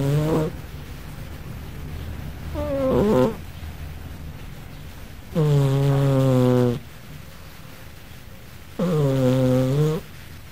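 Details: Pet cat Gigi snoring in her sleep, sounding like a sleeping person; four low, rattling snores come at a slow, uneven pace about every three seconds, the later ones longer and steadier, in a quiet indoor room.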